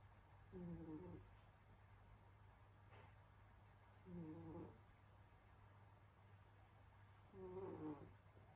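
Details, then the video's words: Sleeping through winter, the cat Senyora Betsy gives three quiet nasal snores, each a short buzzy low breath about three and a half seconds apart, with constant background hum in a small room. "Snoring cat |Pusang humihilik"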